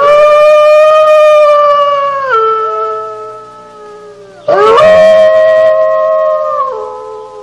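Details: Wolf howl: a long, steady tonal note that steps down in pitch and fades, then a sharp rise into a fresh, loud howl that holds level and drops slightly at the close.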